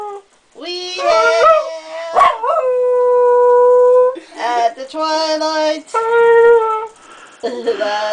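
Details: Small Jack Russell terrier named Thunder howling to household singing and music-making: rising and falling yodel-like howls, a long steady held note in the middle, and repeated quavering bursts with voices and music blended in.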